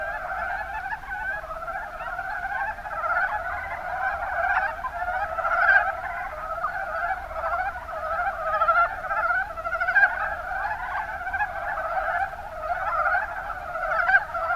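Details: A chorus of mountain brown frogs (Rana ornativentris) in Kumamoto's Kuma Basin, Japan. Many voices overlap into a steady, throbbing wall of short croaks, with scattered louder pulses standing out every few seconds.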